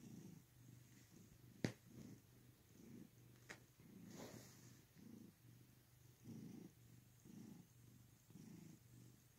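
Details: Purring house cat, deep rhythmic rumble rising and falling with each breath, a couple of sharp clicks and a soft rustle in the background.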